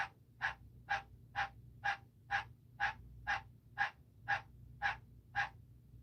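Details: A male tree frog gives harsh, wheezy notes repeated about twice a second, calling indoors near a pet bearded dragon's cage, with a faint room hum.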